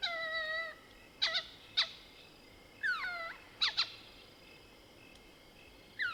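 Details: Mohol's bushbaby in the Soutpansberg range, South Africa, calling at night: a long level harmonic cry, then abrupt clucking chatter notes alternating with downward-swooping squeaks.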